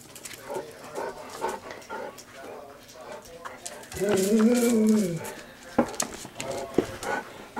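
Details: Golden retrievers, three dogs aged 11 to 13, singing excitedly for their dinner: one drawn-out, arching, mournful howl about a second long. It is framed by short yips and a person repeatedly asking what they want.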